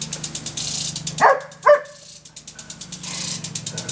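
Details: Irish Setter named Irene barking at a water sprinkler in her backyard: two sharp barks near the middle, over the steady rhythmic ticking and hiss of the sprinkler.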